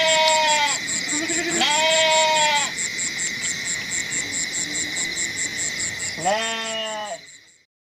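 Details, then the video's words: Goats bleating three times, with wavering, nasal bleats near the start, a longer one around two seconds, and a final bleat near the end. A steady high pulsing tone runs underneath throughout, fading out at the close. "SUARA KAMBING UNTUK HIBURAN ANAK-ANAK - KUMPULAN KAMBING BERSUARA"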